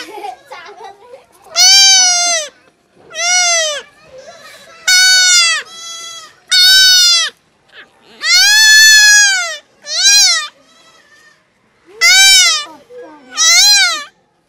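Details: Young goat undergoing castration, crying out in about nine sharp, high bleats over fourteen seconds. Each rises then drops, some short and some drawn out, with quiet gaps between them.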